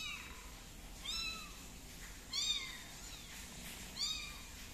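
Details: Tabby kitten Tiger set on a plate, giving three thin arching meows spaced about a second and a half apart, each rising then dropping, in a quiet indoor room.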